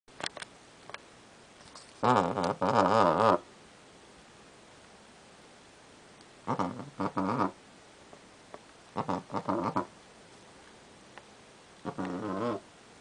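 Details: Cat looking out a window and chattering indoors: four separate bursts of rapid, wavering, stuttering trills, the first longest at over a second, with quiet gaps between.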